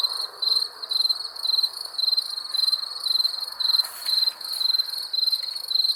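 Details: Crickets chirp steadily at night, short high trilled pulses repeated about twice a second.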